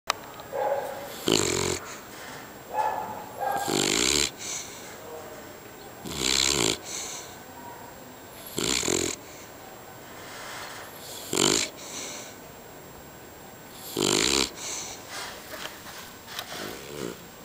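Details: Sleeping beagle snoring loudly, each breath a harsh, rasping snore with a hissing edge, repeating roughly every two and a half seconds, a few fainter whistling inhalations between them.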